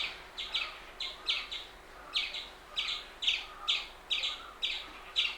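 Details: Indian palm squirrel uttering high, sharp double chips, about two pairs each second with short gaps, steady and insistent over faint hiss.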